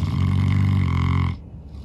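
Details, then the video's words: St. Bernard named Norman, exhausted and sleeping after a long day of outdoor play, gives a loud, deep, buzzing snore that holds steady for over a second, then drops into quiet breathing. "Snoring dog. St. Bernard so tired after a long day"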